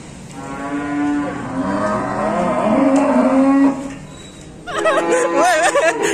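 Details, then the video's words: Raging cattle running loose, giving a long, drawn-out harmonic moo of about three seconds. A shorter, wavering cry follows, with people shouting in the background. "KUMPULAN SAPI NGAMUK MENAKUTKAN 2022"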